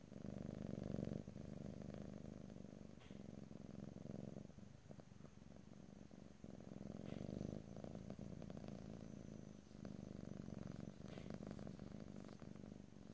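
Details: Domestic cat purring close up in stereo, ear to ear, with no talking: a steady low rumbling purr in long breath cycles, swelling and easing roughly every three to four seconds, with faint clicks and rustles.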